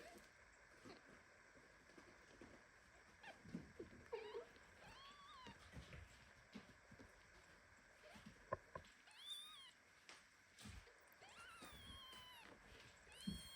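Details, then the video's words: Premature kitten meowing indignantly while its mother cat hugs it tightly indoors, among several kittens and two nursing mothers; thin, high, arching mews come in scattered bursts, denser in the second half, over soft rustling and faint background hiss. "Mother cat hugs premature kitten so tightly that he starts meowing."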